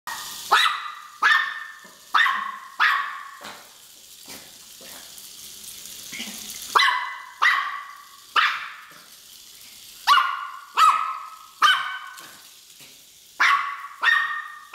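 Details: A Miniature Pinscher, chasing a Hexbug Scarab toy it seems to treat as an intruder, gives sharp, high-pitched barks in quick bursts of two or three.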